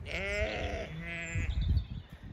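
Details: Zwartbles sheep in a sunny field in County Kilkenny, Ireland, at lambing time, bleating at the farmer because they expect extra food; one long, shaky, vibrato bleat lasting about a second, then a shorter fainter one, followed by footsteps or handling noise.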